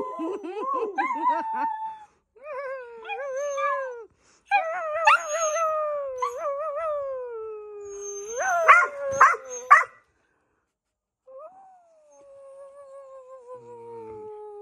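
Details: Long wavering dog howls rise and then fall slowly, with a few barks near the middle, a pause, and then one last falling howl that fades out.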